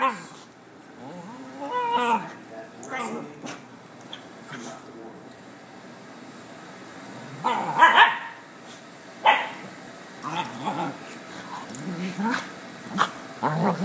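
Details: Playing puppies make scattered whimpers, squeaky yips and short barks, spaced irregularly with quiet gaps between bursts, mixed with light rustling and knocking sounds.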